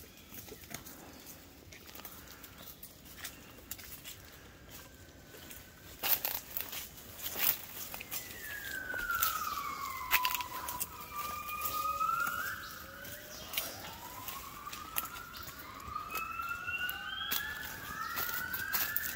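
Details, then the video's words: Waking gibbons begin their dawn song at 5 a.m. in Cat Tien jungle, Vietnam, 16 January 2023. Crunching steps and crackles give way to rising and falling whistled slides, several voices overlapping over the last twelve seconds. "observing & listening Gibbons"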